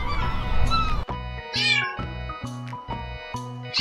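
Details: Kitten meowing: a series of short, rising-then-falling meows about once every second, set over steady, bright background music with low bass notes.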